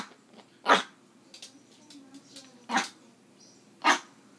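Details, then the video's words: A pet Yorkshire terrier 'talking' to its owner while a person urges it on: three short, sharp yips or sneezy barks, spaced about one to two seconds apart, with a quiet indoor background between them. "My yorkie can talk"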